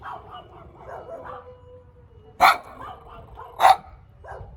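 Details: Small dog barking: two loud, sharp barks about a second apart stand out among quieter, muffled yaps, with a low background hum.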